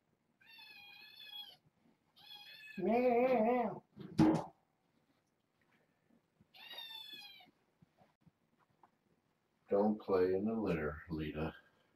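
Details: Young kittens, four females and two males born August 29th, snuggling and napping on a person at bedtime indoors. Thin, high wavering meows come in short bursts, with a man talking in a small room between them.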